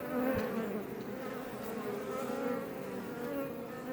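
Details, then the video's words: Honey bees of the Iberian subspecies buzzing outside a Langstroth hive west of Roquetes, south Tarragona, Catalonia, Spain, near Els Ports National Park; a dense, steady hum layered with many overlapping wavering tones, swelling and fading slightly. "Bees Healing Sound Effect HD - Up Close"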